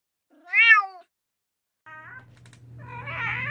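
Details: Domestic cat in a funny pet compilation gives a clear, loud arched meow, then a softer, shorter meow a second later, followed by rising rustling noise and a low hum.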